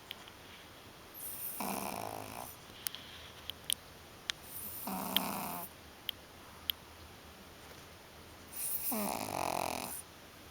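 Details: Sleeping pug snoring indoors: three long, rough, breathy snores about three to four seconds apart, each lasting roughly a second, with a few soft clicks between them.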